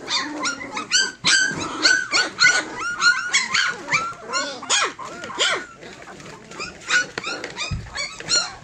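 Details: Tosa Inu litter of fourteen, about three weeks old, giving a steady stream of short high squeals and whines, some with rising-falling arcs, many pups crying over one another.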